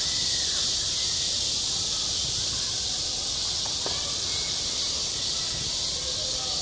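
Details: Loud cicada song recorded on a school playground in midsummer, an intense, even, high electric-sounding buzz without breaks, with brief faint sounds from the background.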